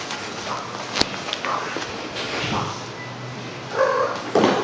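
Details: Excited one-year-old indoor cat making short chirping, trilling sounds, two brief harmonic calls near the end, with faint room noise and a few clicks.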